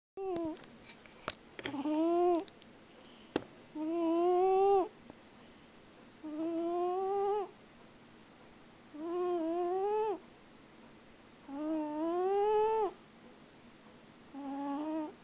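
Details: Sleeping cat, sound asleep, snoring indoors: long nasal tones, each rising slightly and lasting about a second, come in a steady breathing rhythm roughly every two and a half seconds. A few sharp clicks are heard near the start.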